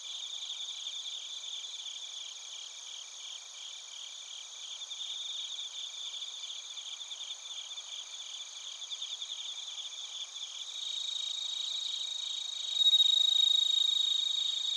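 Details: Bell crickets and other crickets recorded in Narita, Chiba Prefecture, Japan, on a TASCAM Portacapture X8: rhythmic pulsed chirps, about three per second, over a high shimmering trill, with a clear, louder ringing note entering near the end.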